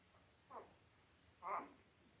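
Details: Five-day-old Labrador Retriever puppies from a litter of five males and three females, born October 15, 2023, on a live puppy cam; two short squeaky whimpers, the second louder, over a quiet indoor background.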